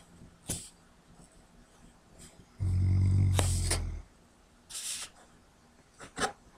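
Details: Max, a pet Labrador Retriever mix, snoring while asleep indoors: one long, deep, rumbling snore of over a second, framed by softer snuffling breaths and light sniffs.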